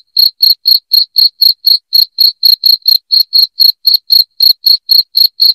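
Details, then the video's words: Cricket chirping at high volume, meant to repel rats indoors. Sharp, ringing chirps follow one another at roughly four per second in a steady, machine-like rhythm over a silent background. "SUARA JANGKRIK NYARING"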